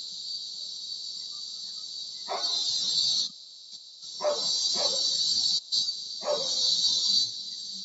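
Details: Cicadas known in Tagalog as kuliglig, heard from a bedroom window: an intense high buzz that cuts out briefly twice before resuming, with dogs barking in short bursts alongside.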